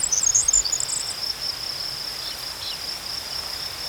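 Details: Shrill, steady cricket chirping as a sustained pulsed buzz, opened by a quick flurry of sharper, higher chattering notes that fades within the first second.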